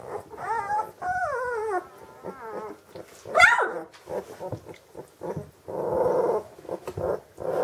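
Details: Magyar Vizsla, a hunting dog bred from old working lines, giving high harmonic whines that bend and slide in pitch, several drawn-out cries in the first two seconds, then shorter broken notes and a sharp yelp midway.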